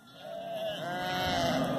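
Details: Sheep in a flock being worked by border collies, a long wavering bleat swelling in loudness over two seconds, with other faint bleats mixed beneath.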